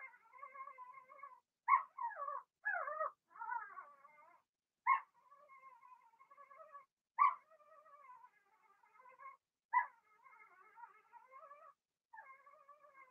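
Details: Indoor pen of six Blenheim Cavalier King Charles Spaniel puppies; continuous wavering whining with sharp louder yelps breaking in roughly every two to three seconds.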